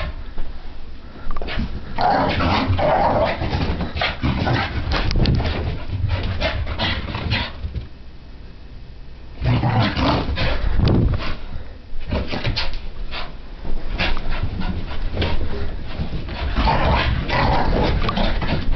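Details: Puppy Sophie, a French Brittany spaniel, dashing about the living room during a frantic random activity period; rapid irregular growls and barks over scuffling, with a calmer stretch near the middle before the noise picks up again.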